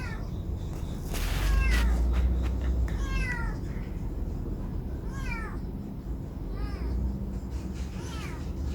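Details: Stray neighbourhood cats filmed in 2019 on a Samsung Galaxy S9+, giving high, falling meows repeated every one to two seconds over a steady low rumble of background noise.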